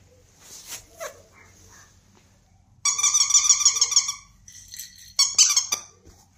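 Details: Bernese Mountain Dog giving high, squeaky, harmonic whines in two bursts: a sustained wavering squeal lasting over a second, then a shorter pair after a pause, with faint soft sounds earlier in a quiet indoor space.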